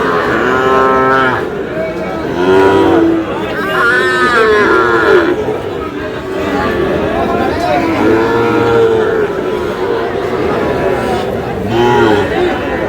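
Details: Sahiwal bulls and calves being bought and sold at Aftabganj market, Dinajpur, as trading begins on 11 July; repeated moos every few seconds, some rising then falling, amid shouting traders and busy crowd noise.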